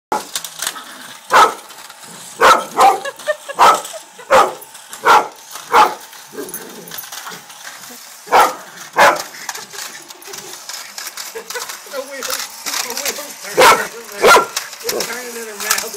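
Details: Rita Rae, a Jack Russell Terrier, barks while chasing a race car: sharp, loud barks come in uneven bursts, about one or two every second, with short pauses and a steady background hum between them.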